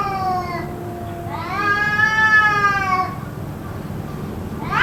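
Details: A cat yowls in what seems to be a fight that carried on for roughly two hours, giving a long level wail that swells and fades, then a new rising cry at the end, with a faint hum beneath.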